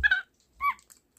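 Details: Alexa, a small pet capuchin monkey at home, giving her communicating sounds indoors: a brief bright squeaky chirp followed by a softer lower whistled note.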